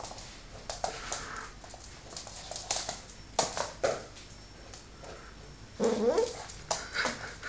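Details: Fox Terrier puppy indoors in a small room, giving short whimpering yips in scattered bursts, with a louder rising whine near the end, among rustling and handling noises.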